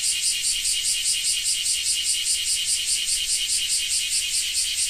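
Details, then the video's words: Cicada recorded in Japan: a dense, high, shimmering buzz pulsing evenly about two to three times per second, steady throughout with no other sounds. "Japan Rain Sound 5of3 - Cicada 3"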